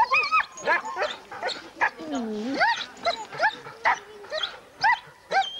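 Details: Sled-racing huskies gathered for a November 2001 race weekend in the Forest of Dean, recorded on VHS: sharp rising yelps and one long sliding whine stand out from a crowd of eager dogs yipping over one another.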